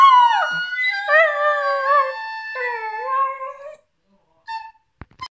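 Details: A 9-month-old female Border Collie howls along with a flute, her voice wavering and sliding between long notes.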